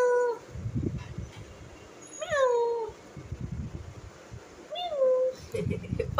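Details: Newly adopted cat being offered food: three clear meows, the first short, the second rising then sliding down, the third a higher rise and fall, with soft rustling and handling noises between them.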